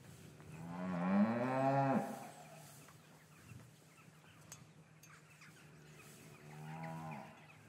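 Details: Cattle in a traditional English cattle yard on a winter's afternoon, calves separated from their mothers. A loud harmonic moo rises and falls over about a second, then a softer, shorter moo near the end, over a low steady hum.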